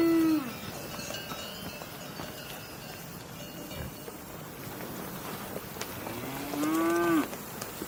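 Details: Two moos from a cow, the first ending as the recording opens and the second, longer one a few seconds later, arching slightly then falling, over constant rustling background noise.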